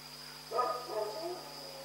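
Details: A dog in Pyrga barks once in the night, a husky two-part bark that dies away slowly, set against a continuous low hum and a faint high-pitched whine.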